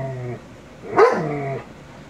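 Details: A 22-month-old male shepherd dog watching a Rottweiler on TV lets out a low, tonal grumble, then a sudden rising bark that melts into a long, falling whine before fading.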